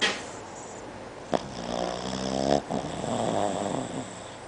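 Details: A female Boston Terrier snores loudly while asleep, long rattling breaths with a harmonic, wheezy buzz; the snoring happens daily.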